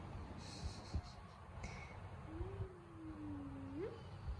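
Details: After losing a fight, a house cat tries charming its way out with one soft, level meow that tails off and then flicks upward at the end, heard over a low indoor rumble.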